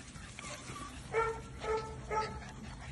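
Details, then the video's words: English Springer Spaniel puppies, nearly two months old, at play: three short, tonal yelps about half a second apart, set against a quiet, hissy background. "Tribu Otop chiots 2 mois on s’amuse"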